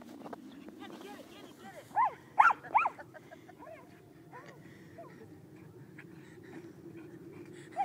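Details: Miniature schnauzer attacking a big snowball on the first snowy day of 2012 in Seattle, Washington, giving three short, excited, arched yelps near the middle, then softer snuffling over a low steady background hum.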